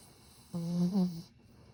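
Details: Satsuma beagle asleep, snoring unusually gently this time: one short, low humming snore under a second long, wavering slightly in pitch in the middle, set against soft background hiss and otherwise silence.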